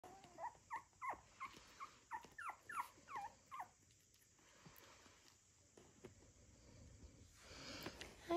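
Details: Puppies on February 14th giving a quick series of short, high whining yelps, each rising then dropping, about three per second for three seconds, then quiet background and a person speaking at the end.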